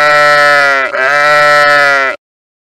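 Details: Sheep giving one sustained, nasal bleat of about two seconds, rich and tonal, with a wavering pitch that dips briefly partway through before holding steady.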